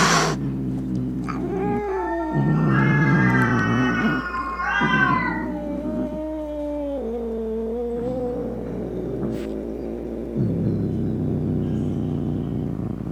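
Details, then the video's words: Angry cat caterwauling: a low rumbling growl rises into a high wailing howl that wavers up and down, then sinks into a long descending moan before settling back into a deep rough growl. "Som De Gato Miando Bravo - Ronronando Para Espantar Rato, Gabiru, Saruê e Outros Gatos"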